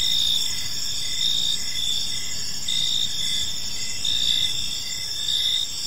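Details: Evening in a peaceful park with crickets chirping: continuous shrill high-pitched trills layered with regular pulsing chirps, plus faint low-frequency rumble underneath.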